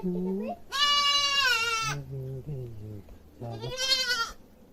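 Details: Goat screaming loudly: two harsh, wavering bleats near one second and four seconds, with lower, softer bleating sounds and a faint voice-like murmur in between.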